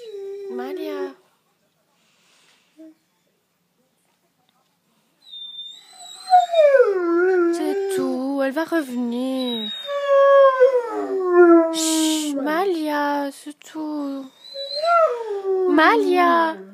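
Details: Female Great Dane howling indoors after her owner leaves: long, wavering, harmonic howls that rise then slide down, several in a row with short breaks, while a woman's voice repeatedly hushes and soothes her in French.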